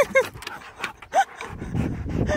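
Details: Male Siberian Husky giving two short, high whining yelps, each a brief rising-then-falling tone with bright overtones, separated by about a second of snuffling, breathy noise and faint background sounds.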